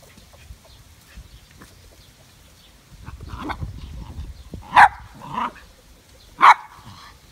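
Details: West Highland White Terrier giving a few short barks, two sharp loud ones about two seconds apart near the end, after a softer yelp, over quiet indoor background.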